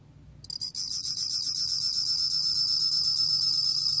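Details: A bell cricket's song from 2020: after a few hesitant clicks it breaks into a sustained, shimmering high-pitched trill of rapid pulses that carries on steadily, over a soft low hum.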